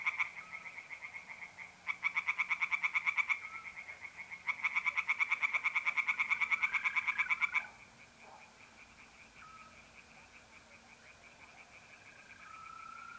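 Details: Tree frogs in a pond at night in April, north-east Italy, give two long bouts of rapid rattling croaks separated by a short pause; afterwards only the steady trill of mole crickets continues.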